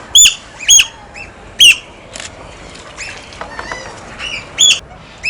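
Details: Otters at play with stones, producing loud, piercing squeaky chirps, about six strong ones spaced irregularly, with fainter chatter between them.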